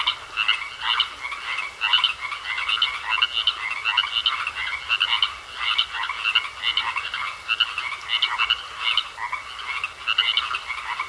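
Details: Pond frog chorus, many callers overlapping in continuous rattling croaks, rhythmic surges repeating about twice a second, with a thin steady tone running underneath throughout.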